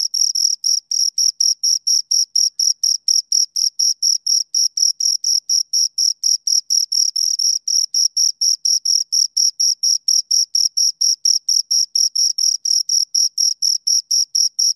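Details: Steady, relentless chirping from two crickets, close to four high, crisp pulses per second sustained throughout, very uniform in rhythm and loudness against complete quiet.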